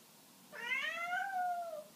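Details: A male Birman cat indoors, refusing to come out of a spot he likes, gives a single drawn-out meow that rises slightly, then slowly falls away.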